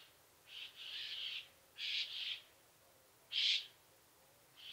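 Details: Saddle-backed Bush-cricket (Ephippiger ephippiger) singing at Pfaffstätten, Austria, on 7 August 2022, picked up through an ultrasound detector: short, high, harsh chirps, some doubled, given in irregular bursts about every second, over a quiet background.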